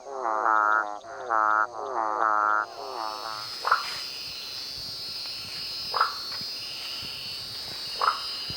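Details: A marsupial treefrog (Gastrotheca recava) gives loud, rich, pulsed notes, then sharp single pops over steady insect hum.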